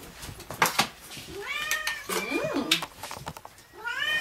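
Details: Cat at the Dove Cat Rescue sanctuary, waiting to be rehomed, gives three drawn-out, rising-then-falling meows over about three seconds. Soft clicks and handling noises come before them, and a person talks nearby.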